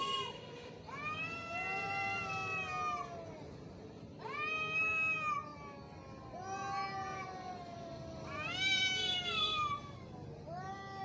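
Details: Fighting cat in an angry mood, producing continuous moaning caterwauls that bend up and down, loud harmonic wails repeated roughly every two seconds with a low background hiss.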